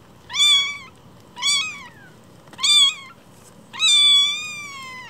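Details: Tiny fostered rescue kittens, one week old, named Cookie and Nan, cry out in four loud, piercing meows, each bending down at the end, the last one drawn out and longest.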